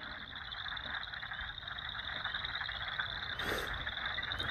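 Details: A bunch of frogs calling at a pond across from a prairie along a trail on April 8, 2020; continuous noisy chorus with a steady high trill band and many overlapping calls, a brief rustle near the end.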